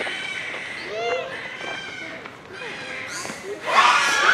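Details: Troop of Japanese macaques at Hamura Zoo, Japan, fairly noisy at dusk near closing time, December 2020; clear arched, whistle-like coos overlap for three seconds before a loud, harsh outburst ends the clip.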